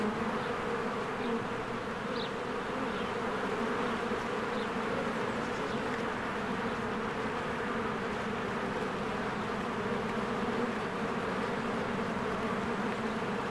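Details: Continuous low buzz of a busy spring beehive, honeybees streaming in and out. The hum stays even and dense, with an occasional faint high bird chirp early and midway.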